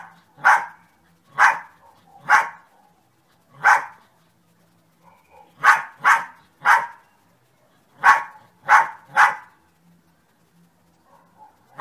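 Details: A dog named Sunny barking in loud, sharp single barks and quick pairs or triplets, about ten in all with short silent gaps between them; a faint low hum underneath.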